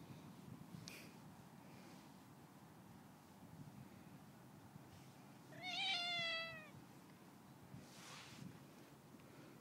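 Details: Domestic cat, friendly, being fed by a neighbour; a single clear drawn-out meow, slightly falling, near the middle, otherwise quiet with faint background rustle.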